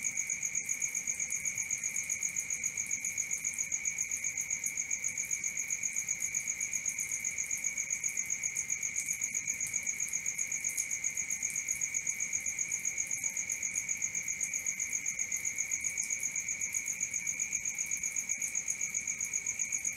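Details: Cricket at night producing an unbroken series of quick, even chirp pulses, a piercing high tone with a fainter upper shimmer, the rhythm holding steady from start to finish.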